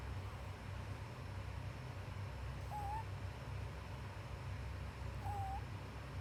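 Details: Pet rabbit Pupu snoring while asleep in the daytime: two short, thin whistled squeaks about two and a half seconds apart, each wavering slightly, over a steady low hum.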